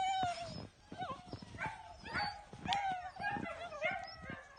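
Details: Twelve-week-old male German Shepherd puppy whining steadily, a thin tonal cry that dips and rises, broken by quick yelping yips, with soft thuds and clatter underneath.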